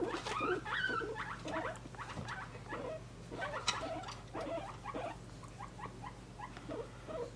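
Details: Pet guinea pig held in someone's arms, giving quick irregular chirping squeaks, some rising and falling, mixed with soft rustling and a low background hum.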